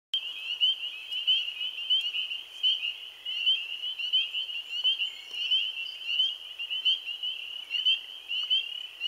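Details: Spring peepers in their first chorus of the season, recorded April 15, 2013: a dense wall of high, piercing peeps from many frogs, overlapping continuously with brief sharper notes standing out above the steady shrill band.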